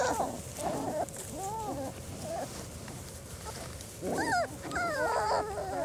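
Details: Litter of four-week-old German Shorthaired Pointer puppies on their first time outdoors, giving high wavering whines and whimpers that rise and fall in short arcs, with bursts clustered near the end and women's voices talking in the background.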